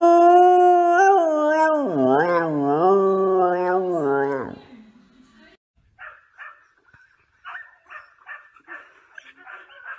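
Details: Samoyed howls loudly for about four seconds in a wavering, rich-toned voice that dips and rises, then stops; human speech and soft clattering sounds follow.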